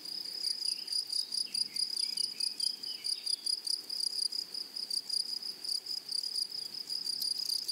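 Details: A flowery meadow full of grasshoppers gives a shrill, fast-pulsing buzz that throbs in short regular bursts, with faint bird twitters early on.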